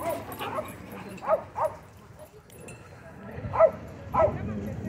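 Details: Dogs at a dog park entrance, where owners move quickly to stop a dogfight; sharp barks come in two pairs spaced over a few seconds, with people talking in the background.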